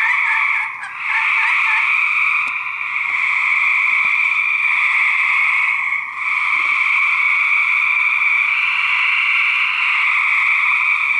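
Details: Two or more male gray treefrogs in a 2010 fight: a steady droning trill chorus, a quick run of pulsed notes near the first second, and brief drops in loudness around one and six seconds.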